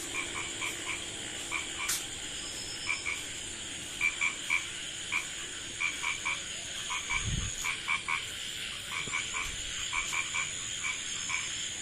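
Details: Night-time village recording of a small frog: rapid runs of sharp, tapping croaks in clusters of two or three, one dull low thump partway through, and a continuous high insect-like whine behind.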